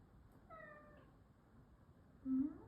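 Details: Kai, a six-year-old Maine Coon cat with a nasal tumour (cancer) and rhinitis symptoms, gives one soft, faint, slightly falling meow indoors, followed by a short low murmur as a woman talks to him.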